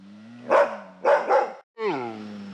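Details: Asian black bear huffing three times in rough breathy bursts, then after a brief silence letting out a harmonic call that slides downward and levels off.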